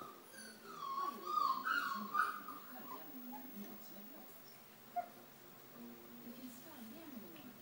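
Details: Four-week-old Rhodesian Ridgeback puppies of one litter, heard as a short run of high, wavering whimpers and squeals in the first seconds, then quieter scattered whines over a low murmur of background sound.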